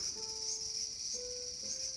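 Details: Steady high shrill drone of a cicada in a small garden on August 5, 2020. Two or three low, drawn-out whistled tones, each held about a second, sound beneath the buzz.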